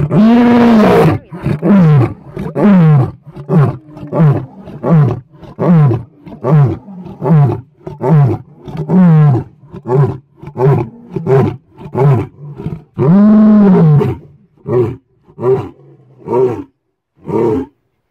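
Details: Lion roaring up close at Cheetah Experience, South Africa: a long opening roar followed by a run of shorter, deep, grunting roars about one a second, with a long drawn-out roar midway and fading grunts to close.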